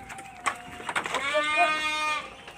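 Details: Texel Merino ram, eleven months old and described as jumbo-sized, lets out a drawn-out, quavering, nasal bleat lasting about a second. A man speaks just before it.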